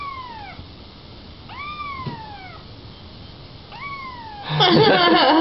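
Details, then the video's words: Kittens meowing indoors: three short downward-curving mews, each falling in pitch, spaced about two seconds apart, ending in a burst of rustling handling noise. "Little kittens meowing and talking"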